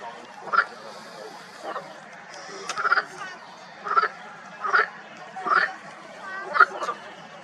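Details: Marsh frogs calling in a pond in spring: short, rasping croaks with a bright ringing core, given roughly once a second in loose sequence, over a low steady background hum.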